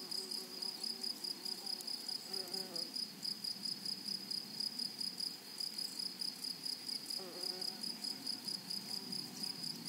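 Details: Grasshoppers singing in a flowery meadow: a steady, high, shrill buzz made of rapid even pulses runs throughout, with a fainter upper whine and soft, low murmuring sounds underneath.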